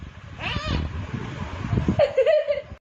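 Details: A cat said to talk by opening its mouth meows briefly near the start, then gives a longer, wavering, slightly falling meow toward the end, over steady low background noise and nearby human voices.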